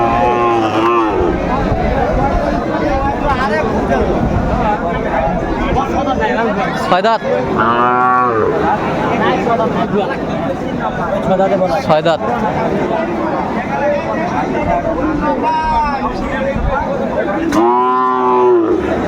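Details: Cows at the Aftabganj cattle market in Dinajpur, Bangladesh, on 18 August 2024. Several low, drawn-out, harmonic moos rise above continuous crowd chatter and bargaining voices, with louder lowing near the middle and end.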